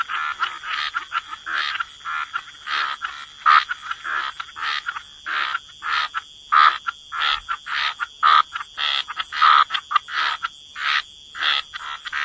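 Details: Croaking frogs at the waterside, giving short buzzy croaks in an uneven series, roughly one or two per second, each a clipped harsh pulse, over a faint constant high whine.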